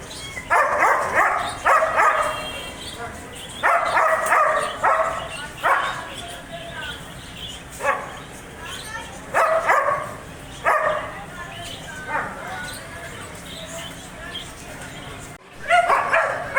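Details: Repeated harsh barking from a German Shepherd, in quick pairs and singles separated by short pauses, with a longer quiet gap before a final loud bark.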